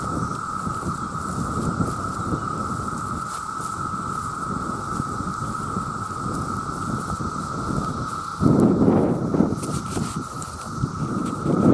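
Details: Millions of male cicadas calling for mates form a constant, even drone that never pauses; heavy low rumbling noise rises in the last few seconds.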